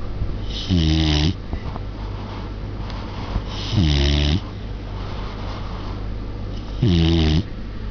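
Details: Sleeping baby Samoyed, Nana, recorded in November 2009, giving three rasping, voiced snores about three seconds apart, each a short buzzy breath with stacked tones, against a constant low background hum.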